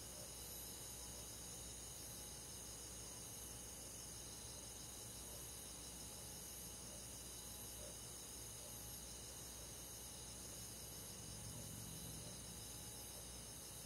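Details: Crickets and other countryside insects on a quiet summer night, a dense steady chorus of high, shimmering pulsed trills layered in several bands, continuous throughout with no gaps, over a low soft background hiss.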